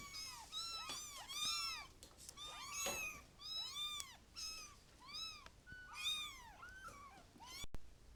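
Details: Many kittens mewing in quick overlapping high arcs, a busy chorus with a brief lull midway and a sharp click near the end.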